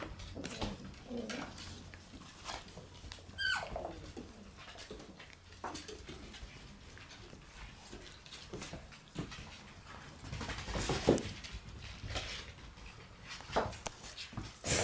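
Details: Red Shiba Inu male puppy, born September 7, indoors. Scattered high, thin whines curve upward around the middle, mixed with soft knocks and household clatter in a small room.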